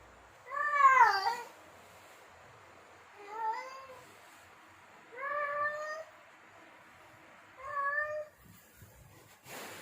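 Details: Domestic tom in heat calling for females, giving four separate drawn-out meows about two and a half seconds apart, each bending downward, the first loudest, with a short scratchy noise at the very end.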